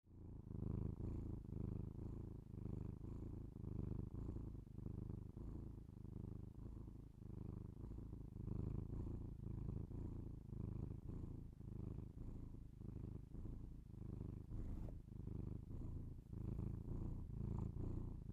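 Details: Domestic cat purring, recorded binaurally indoors for ASMR: a steady low rumbling purr with rhythmic swells, each inhale-exhale cycle roughly a second long, continuous throughout with no other clear sounds.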